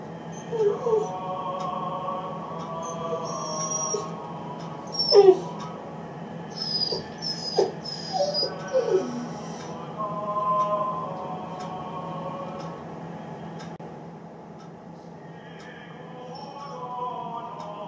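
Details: Lonely 8-week-old Great Dane puppy named Riddle, left as one of his people exits the room: scattered thin whines and short sliding whimpers early on, fading to faint, quiet whining later over constant low hum.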